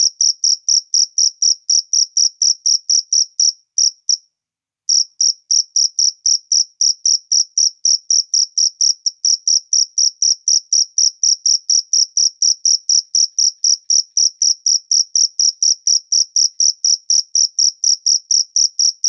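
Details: Cricket heard in natural surroundings, a long sequence of sharp high chirps at roughly four per second, broken by one brief silence early on, then resuming evenly; nothing else audible.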